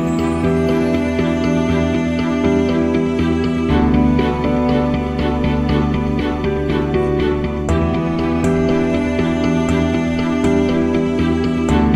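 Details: Gentle instrumental music with steady plucked and sustained tones, no animal voice audible.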